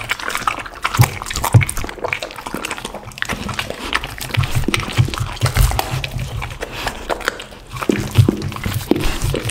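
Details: A dog eating a lunch of raw chicken and duck, with loud wet crunching and gnawing throughout, irregular chomps and bone cracks close up, and occasional clicks of teeth.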